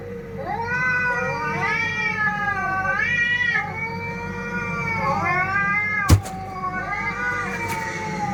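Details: Fighting cats: long, drawn-out wavering yowls rich in harmonics, rising and falling in slow swoops almost without pause, with one sharp click near the end over a steady low hum.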